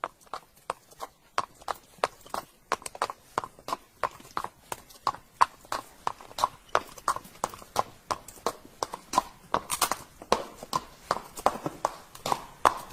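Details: Galloping horse, its hooves striking in a steady, quick clip-clop of roughly three beats per second that continues throughout.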